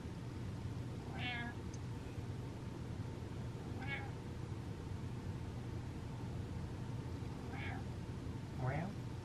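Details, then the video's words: Little meows from Butters the cat: four short, thin squeaks spread across the stretch, the last one longer and sliding upward from a low start, with a steady background hum. "The Littlest Meows"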